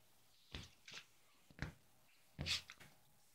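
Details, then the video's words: Yorkie Ronnie tussles with his doggy bed and pillow at home. Four sharp, noisy nasal snorts come in quick succession, the last a longer, harsher double blast. "Cute yorkie playing in his doggy bed and snorting"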